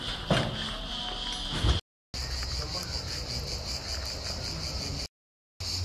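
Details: On 2 July, on a market day, cicadas keep up a steady, high, shimmering buzz over low road rumble and passing people.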